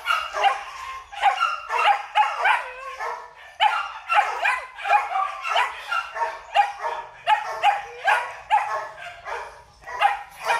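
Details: Rapid, insistent barking by a male Belgian Malinois kept at a breeding kennel, roughly two barks per second over ten seconds, harsh and harmonic with occasional whiny yips between.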